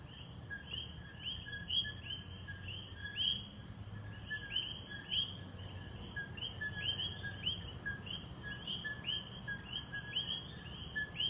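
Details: Coquis calling together in Puerto Rico, an unbroken stream of overlapping co-qui calls with upward-sliding second notes, backed by a continuous thin insect tone and low rumbling ambience.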